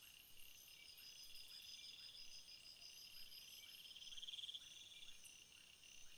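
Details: Cricket chorus outdoors: continuous high-pitched trilling from many insects, short pulsed bursts swelling in and out, faint low repeated ticks beneath, and a gentle steady background hiss.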